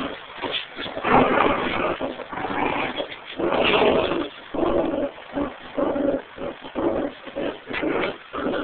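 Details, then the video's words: Two dogs, a Pomeranian and a terrier mix, pulling at a tug toy together; gritty growls rise and fall in uneven surges, louder in the middle, then shorter pulsed bursts toward the end. "Dog Tug Of War"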